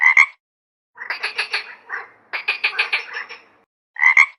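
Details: A frog croaking: short bright bursts open and close the sequence, framing two longer runs of rapid, rasping pulses, each run lasting about a second, with silence between them and no other sounds.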